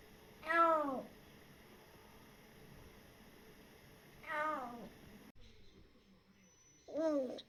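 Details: Three short descending meows, spaced several seconds apart, from a cautious rescued kitten aged a little over three months, with faint room hiss between cries.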